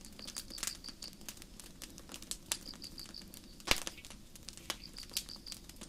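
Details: Forest crickets at night give short bursts of four to six high, evenly spaced pulses, separated by pauses, under the soft hiss and sharp pops of a gently burning campfire.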